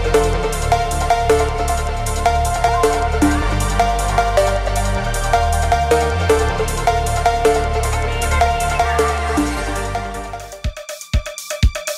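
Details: Driving electronic dance music with heavy drums and bass pulses for about ten seconds, then breaks into a few sparse sharp beats, with no animal sounds.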